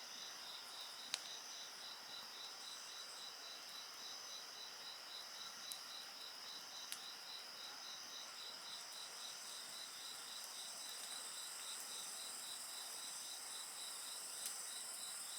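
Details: Layered insect song accompanies a bonfire, dense continuous high-pitched trills with a bead-like pulsing voice running throughout, broken by scattered sharp snaps of burning wood.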